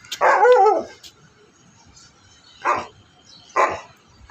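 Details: Siberian Husky kept as a pet alongside another husky, barking: one longer rough bark at the start, then two short sharp barks about a second apart, with quiet gaps between.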